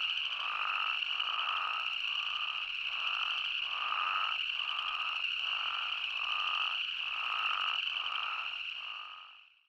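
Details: Chorusing spadefoot toads in Arizona, recorded unedited: pulsed bleats repeat about four times a second-pair rhythm, roughly every second, over a persistent high whine, before the sound fades away at the close.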